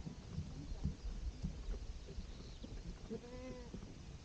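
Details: Goat with kids on a spring day: a single wavering, nasal bleat rich in harmonics rises near the end, after scattered soft thuds and rustling over a steady low rumble.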